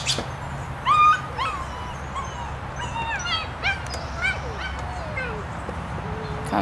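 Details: German Shepherd puppy during obedience training, giving a run of high, sliding whines and short yelps that rise and fall, some clustered closely together, with faint speech in the background.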